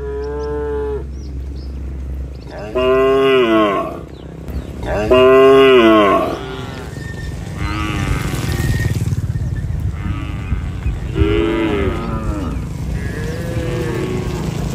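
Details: A herd of tame cattle walks along a rural road heading home to the barn with their herder, lowing in repeated deep, drawn-out moos, with several voices overlapping.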